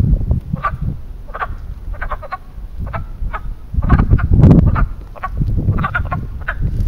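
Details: Frogs giving mating calls at a small man-made pond in Western Pennsylvania in spring: short clucking croaks, several overlapping, come in quick bursts over heavy low rumbling wind or handling noise.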